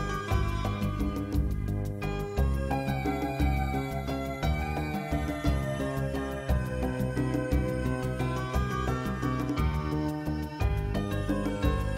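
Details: Rhythmic instrumental music plays throughout, with no animal sounds audible.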